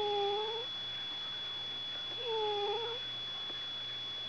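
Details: Domestic cat woken up by George, voicing two plaintive wavering meows about two seconds apart, each bending down then up, against a constant background hum in a quiet room.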